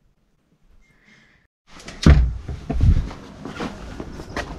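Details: Indoor thuds and a door slam, with knocking and shuffling in a small room; no animal voice is heard.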